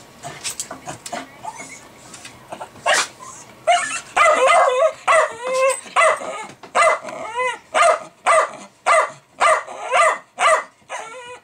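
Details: Milo, a Jack Russell Terrier, going crazy over fermenting beer, perhaps at the bubbles or released CO2: scattered yips at first, then loud, regular whining barks with rising-falling pitch repeated about once a second.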